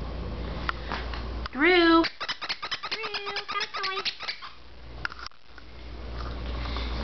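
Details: Golden retriever and poodle cross dog indoors giving one loud, wavering high whine that rises and then holds, followed by several shorter, lower whining tones, with steady room hum in the background.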